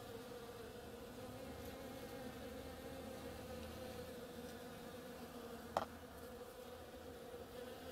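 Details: Bees working the flowers of an oriental creeper, a steady low hum with a band near 250 and 500 and faint overtones above, swelling slightly, one sharp click near the end.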